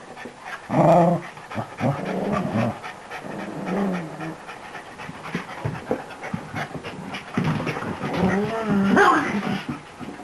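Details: Newly arrived beagle mix puppy playing wildly indoors: heavy panting runs throughout, broken by short, rough, growly whines near the start and a longer harmonic whining growl burst toward the end, with light rustling and thumps between.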